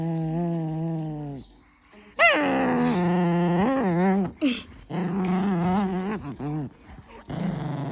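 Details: Excitable pet dog making odd vocal noises: long drawn, wavering whines and howl-like moans that rise and fall in pitch, broken by short pauses and a few sharp yelps, with a person speaking.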